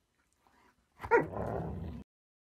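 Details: Siberian Husky 'talking', giving one short yelping vocal burst of about a second, sharp at the start and then fading into a rougher, breathy tail, with quiet room surroundings before and after.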